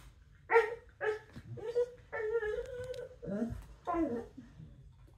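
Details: A Pembroke Welsh Corgi gives a run of whiny, yodeling growls and grumbles while play-fighting with open-mouthed "bitey face" on the floor.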